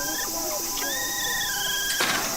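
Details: A female capybara, part of a herd around the breeding male at Nagasaki Bio Park, gives thin, drawn-out whistles with squeaky edges, a courting call.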